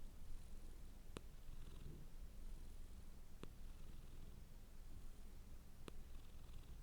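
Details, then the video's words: Domestic cat purring hard: a soft, continuous low rumbling throb with a steady rhythm, joined by a broad hiss and three brief sharp clicks. "Purring Cat sound for Relaxation"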